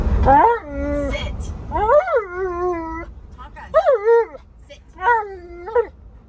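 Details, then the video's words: Tonka, an Alaskan Malamute who refuses to wear his seatbelt, complains loudly in four drawn-out, rising then falling 'woo-woo' talking moans, each about a second long, with short pauses between them. "Mad Malamute Refuses To Listen | He Loves To Argue"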